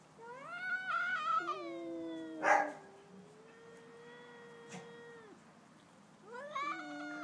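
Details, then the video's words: Stand-off between two domestic cats, one a pet and one a neighbour's: loud wavering yowls, a sharp burst near two and a half seconds, a long flat sustained howl, then fresh rising wails. "2 cats singing/talking!"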